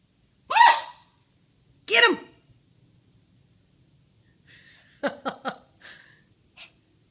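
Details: Poodle Stella letting off steam at playtime while Buster patiently waits: two sharp, harmonic barks about 1.5 seconds apart, a pause, then a fast burst of three yips followed by two softer short yelps in a quiet room.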